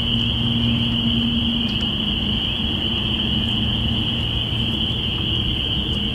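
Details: Binaural recording of spring peepers from April 05, 2017, heralding the start of spring. Many frogs call at once, their high piping blending into a continuous shrill drone, with a low background hum underneath.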